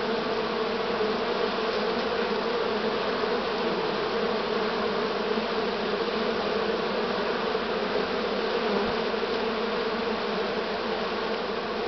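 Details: Buzzing from a honey bee swarm formed this year, 6 September 2019: thick continuous droning of many bees, even in loudness, with a faint brief tick near the end.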